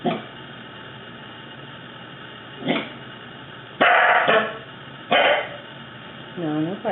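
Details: Pet male Corgi, fluffy, showing off his weird noises indoors: loud single barks spaced about a second or more apart, then a wavering, rising-and-falling whine at the end, as a person tells him to stop barking.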